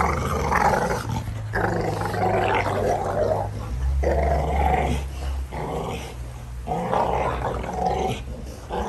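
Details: American Bully making a long, rough, rumbling growl broken into surges of a second or two, over a constant deep background hum, with a few short sharper sounds.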